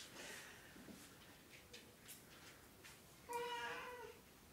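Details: Oriental or Siamese cat from the RU*Meekahoo cattery, Edelweiss, utters a single clear, tonal meow near the end after quiet indoor background with faint rustles and soft knocks.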